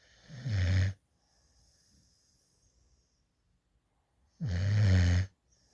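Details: Female puppy adopted from a dog rescue at eight weeks, asleep in a lap while drooling with her tongue out, giving two raspy, rumbling snores about three and a half seconds apart, near silence in between.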